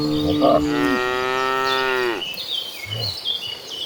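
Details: A calm cow in a gentle herd walking to green pasture gives one long, rich, level moo lasting about two seconds that drops at the end, followed by quieter background chirps.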